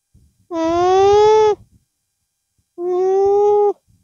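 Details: A llama with its calf gives two drawn-out nasal hums ("mmm"), each about a second long with a short pause between, made through the nose to express itself; Llama.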